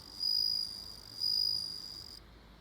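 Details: Bell cricket with two loud, pure, high-pitched ringing trills, each lasting about half a second, separated by a short pause, over soft background hiss.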